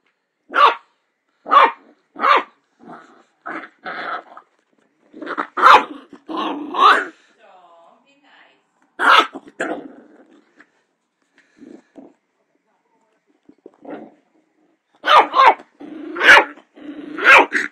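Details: Tom, a little dachshund puppy, gives short, high, yappy barks in quick bursts, with a few softer grumbles between, while barking at his own reflection.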